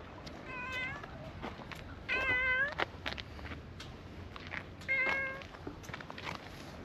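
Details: Brown-tabby-and-white stray cat by a pond in a park, meowing three times: harmonic, slightly rising-then-falling cries about two seconds apart, with scattered clicks and rustling around it.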